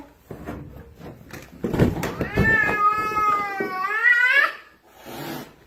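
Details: Pet cat blocking its owner on the stairs and staring makes a strange sound: a drawn-out, wavering yowl that rises sharply at the end, after footsteps and knocks, with a man speaking nearby.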